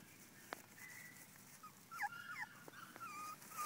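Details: Salt-and-pepper female Miniature Schnauzer puppies whimper in thin, high, wavering whines that rise and fall, with a few soft clicks.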